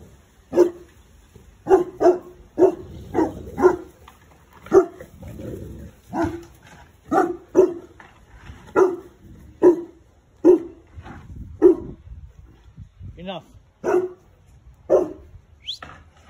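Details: Boerboel mastiffs behind a fence, a big dog barking in deep, loud single woofs, often in quick pairs or threes, about twenty barks over sixteen seconds, with short pauses and a faint whine near the end.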